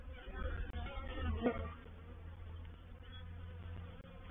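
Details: Honey bee reproductive swarm moving into a swarm trap on 04/07/21; a low, rumbling hum runs throughout, with a brief louder buzz of a passing bee at about a third of the way in.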